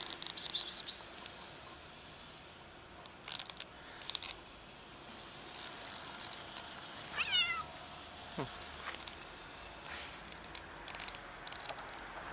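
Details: A huge fluffy female stray domestic cat living on the street in cold winter, friendly and hungry, gives a single short meow that slides downward mid-recording, surrounded by quiet background noise and scattered soft clicks and rustling.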